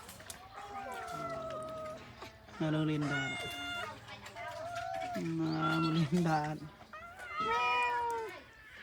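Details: Abandoned cats meowing, with drawn-out arching meows near the start and again at the end, while people talk over the middle of the recording.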